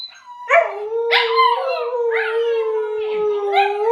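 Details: Young husky cross dogs howling together, a seven-month-old pomsky copying the other: a steady, level howl runs underneath while sharper, rising yelping howls break in about every half second, loud and close.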